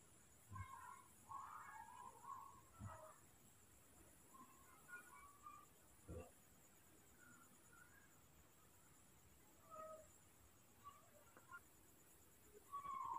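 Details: Hand-raised newborn baby monkey at night beginning to vocalise when held, a series of soft, thin squeaky cries repeated every second or two, with occasional low thumps and handling noise, ending in a louder cry.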